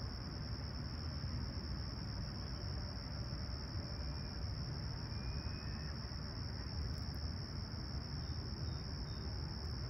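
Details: Insect chorus of crickets on a clear summer morning at Humber Bay Shores, Toronto, 28 July 2020: a sustained high, ringing trill, a couple of faint thin chirps, and a steady low rumble underneath.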